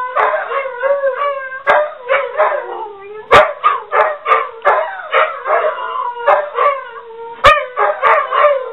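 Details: A pair of pet dogs, Ulla holding long notes, keep up a crooning chorus triggered by the home office phone; pulsing, wavering howls with frequent short barks and yips throughout.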